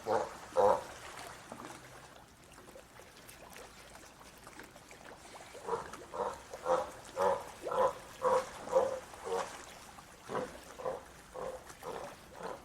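A sea lion gives a run of harsh, throaty barks, roughly two per second.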